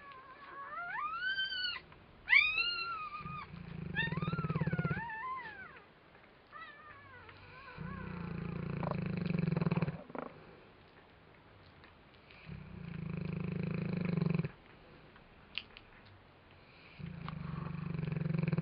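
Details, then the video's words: Sleeping Neapolitan Mastiff named PJ snoring in long, low, rasping bursts with quiet gaps between them, four snores in all; high, rising squeaky whines are heard first, before the snoring settles in. "More Pj snoring"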